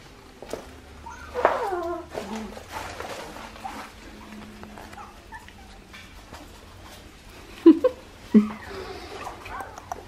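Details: Australian Shepherd puppies, two and a half weeks old, from Poppy and Dublin's litter at Fifteen Acre Farms; high whimpers and squeals with rising and falling tones, a few sharp yelps near the end, and soft voices in the background.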